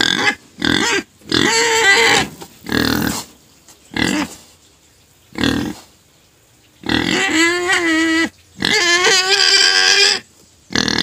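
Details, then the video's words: Pet pig crying before being given sugar cane, a run of short squeals followed by two long wavering shrieks, loud and harsh. "Crying pet pig finally shuts up after being fed sugar cane"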